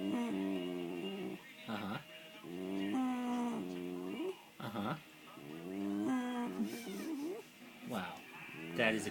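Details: Elle the Norfolk terrier producing odd, near-continuous moaning and grumbling tones that rise, fall and wobble, broken by brief breaths and sharper squeaks, as if answering a person speaking to her.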